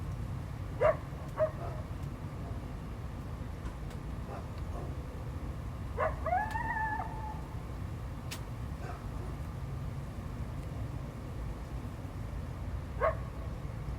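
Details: Coyote reacting to a dog barking and intrusion into its territory, 12 February 2025: a few short sharp bark-like notes at the start and end, and a rising, briefly sustained howl in the middle, over a constant low rumble.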